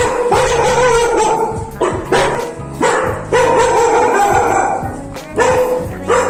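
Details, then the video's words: Three house dogs barking frantically as someone enters, excited and alert rather than aggressive; sharp barks in bursts roughly every second, with steady background music throughout. "so as you can see in the video the moment you enter the house these guys start barking now"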